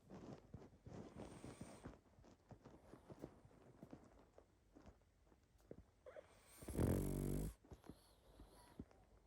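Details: Sleeping pug snuffling and wheezing softly through its nose in low, rasping breaths, then a single loud, throaty snort with a tonal edge near the end, followed by quieter breathing.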